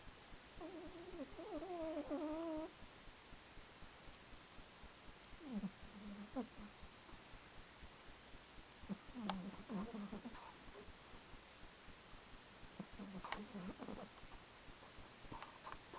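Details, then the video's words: Female pet cat Buffy snoring in cold weather, recorded on camcorder: an opening wavering whistle-like nasal tone, followed by low, breathy snore puffs returning every few seconds in a quiet room. "Buffy The Cat Snoring"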